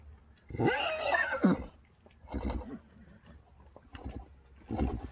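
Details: Friesian horse from a herd giving a loud, quavering whinny of about one second with arching harmonics, followed by two softer, shorter whinnies a second or so apart; low background rumble.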